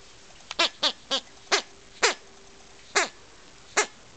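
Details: Akita puppy relentlessly trying to kill a toy bee, giving a run of sharp, high, harmonic yelps that drop in pitch, seven in about three seconds at uneven gaps, against a quiet background.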